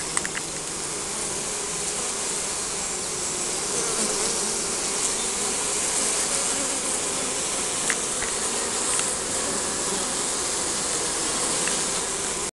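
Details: Buzzing honey bee colony at a beehive in spring, filmed on a compact camera: a sustained, even drone of countless wings with a steady low hum, light hiss and occasional faint taps, cutting off abruptly at the end.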